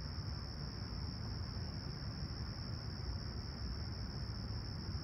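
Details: Crickets at Humber Bay Shores, Toronto, during a calm, clear summer sunrise on July 28, 2020, at 20ºC, give a continuous thin high trill without pauses, laid over a heavy, steady low-frequency rumble.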